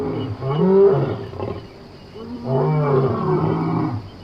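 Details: Lion from Somali wildlife: two sustained, throaty roars, each about a second or more, rich in harmonics and separated by a short quieter gap.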